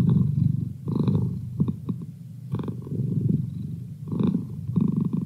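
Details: Merlin, a domestic cat kept as a study companion, gives a continuous rumbling purr, deep and buzzy, with faint clicks and a slight catch at each breath turnover.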